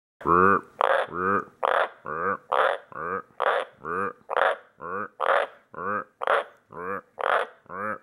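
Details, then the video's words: A White's tree frog gives a steady run of short, rough croaks, about two each second, while a person chats with it. "Whites Tree Frog croaking chat"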